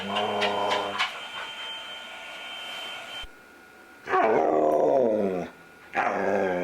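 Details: Luca, a talkative foster dog, making his frequent noises: a short whiny, wavering vocal burst, a pause, then a longer sliding, howl-like moan that bends downward, and a fresh whine starting at the end, over faint steady background tones.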